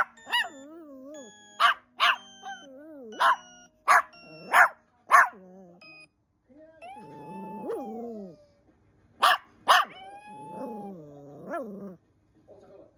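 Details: Small pet dog reacting to a strange sound, giving a series of sharp, high barks in bursts of two or three, mixed with whiny, wavering yelps and grumbling vocal noises between them.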